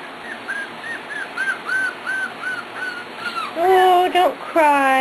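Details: Corgi puppies Beth and Kobe, just over four weeks old, recorded 2/2/10: a run of thin, high whimpers, short arched squeaks repeated roughly once a second, then a person's voice speaking over the final seconds.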